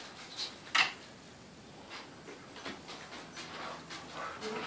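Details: A one-year-old Doberman and a ten-week-old Great Dane mix puppy, Bella and Sampson, playing together indoors. One sharp, high yip rings out early, followed by soft rustling and scuffling movement.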